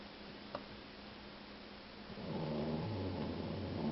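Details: A two-year-old male Boxer mix dog snores very loudly; after a quiet stretch with one tap, a rough, rumbling vibrating snore begins and continues to the end.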